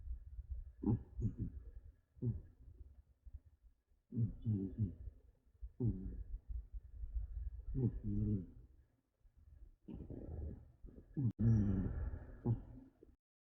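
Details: Exhausted cat Haku sleeping deeply and snoring hard, a run of low, gravelly, rattling snores in quick bursts, some doubled, with brief quiet gaps, inside a quiet room.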